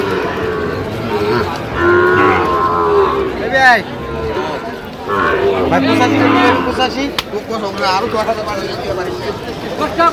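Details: Sahiwal bull calves on sale at a Sylhet market in Bangladesh, 8 October 2025, bellowing in several overlapping, wavering moos of varied pitch amid steady crowd chatter and clatter.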